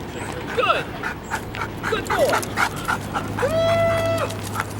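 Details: Sirius, a wildlife detection dog candidate under evaluation, gives short high whimpers, then a long steady whine near the end, with human speech and a low steady hum behind.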